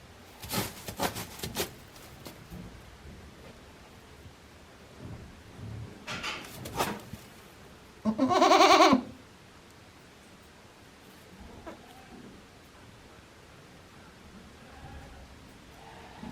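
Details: At Yoshigake goat farm in Japan on 17 April 2024, one of Hikari's day-old kids gives a single strong quavering bleat midway, preceded by clattering knocks and shuffling, with quiet rustles afterward.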